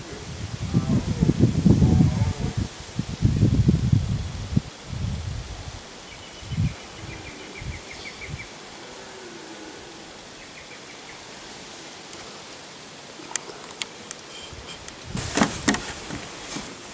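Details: Red deer roaring in the rut at Galgamácsa, Hungary, in forest on an afternoon-to-evening in 2011; two long, deep, rough roars fill the first five seconds, followed by shorter low grunts, then quiet rustling and a few sharp clicks.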